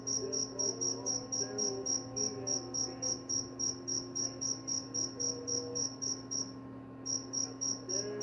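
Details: Cricket calling as a bedtime sound and mouse repellent; quick high chirps about four a second, briefly pausing near the six-second mark before resuming, over a steady low hum and faint soft tonal sounds.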